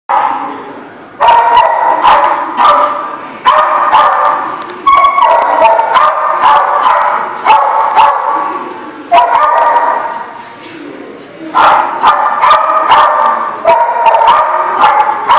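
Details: Several dogs bark together on 15 December 2017, a dense overlapping chorus of sharp, harsh barks in bursts of one to two seconds with brief quieter gaps, some barks pitched higher than others.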